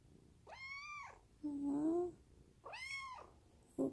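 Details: A young Munchkin kitten (Felis catus) gives two high, arching meows as its owner strokes it, with the owner's soft voice talking between them.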